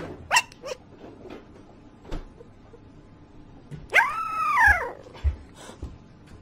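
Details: Puppy giving a few short, sharp yips, spaced irregularly, then a longer arching whine-like yelp that rises and falls, followed by two more brief yips against a quiet indoor background.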